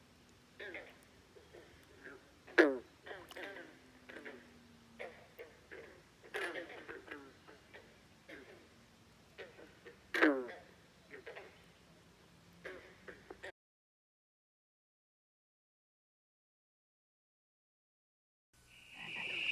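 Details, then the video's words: Nonstop frog croaking at Great Falls National Park in McLean, Virginia. Clipped, descending croaks from several frogs come every second or so for about thirteen seconds, then silence, followed by a brief different noise at the end. "Frogs Croaking at Great Falls National Park in McLean, Virginia. Non-stop croaking"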